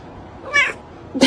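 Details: Short, rising meow from a cat, followed a moment later by a second brief, sharper meow, with a quiet background hum.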